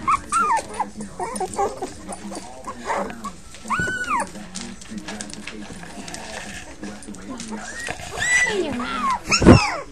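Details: Whimpering from a litter of five puppies: scattered soft arched squeaks over a busy, noisy background, one clear rising-falling whine near the middle and a few sharper yelps and a bump toward the end.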